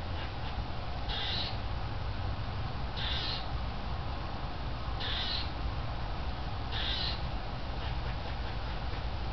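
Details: Squirrel at the end of summer, looking in at a kitchen window and scolding for food: harsh rasping bursts about every two seconds over steady low hum and background noise.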